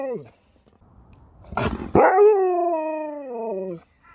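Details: Sherpa the pet dog lets out a sustained, tuneful howl that opens abruptly and slides slowly downward over nearly two seconds. A short bumping noise comes before it, and the tail of an earlier cry is audible at the start.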